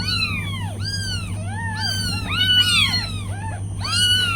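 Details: Tiny meows from a litter of newborn kittens with their mother cat, many thin arched mews overlapping and following one another rapidly, several callers at once, with a constant low hum underneath.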